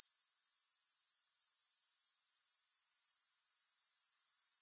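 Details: Shrill, high-pitched grasshopper trill of fast regular pulses, continuous for about three seconds, dipping briefly quieter before resuming at full strength; no music or other noise.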